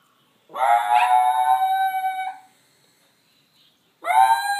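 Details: A young male wolf gives a high, sustained howl that swoops up and holds steady, then starts again, howling over his girlfriend.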